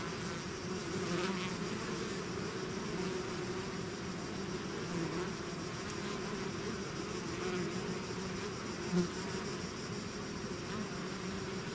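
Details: Honeybee-style swarm pouring out of its hive, a dense continuous low buzzing hum with layered droning tones, steady throughout, with brief faint higher whines from individual bees passing close.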